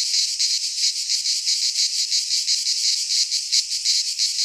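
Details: Greek pine forest cicadas in midsummer, their song a harsh high whirring buzz that swells and dips in rapid beats, roughly three pulses each second.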